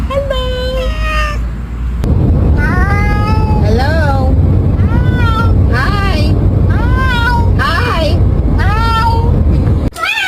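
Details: Domestic cats greeting with meows, a string of about eight rising-falling, slightly nasal calls roughly every second over a steady low hum, with a short higher meow at the start.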